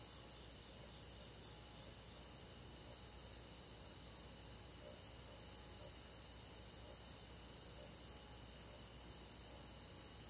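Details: Summer-night countryside forest insects, crickets among them, keep up a gentle continuous shrill trilling on several high, even bands, barely changing in loudness, with a quiet hiss underneath.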